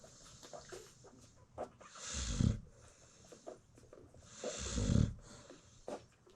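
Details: Sleeping American Bully mother feeding newborn puppies, South African kennel; two moderate, breathy snores about two and a half seconds apart amid quiet rustling and small clicks.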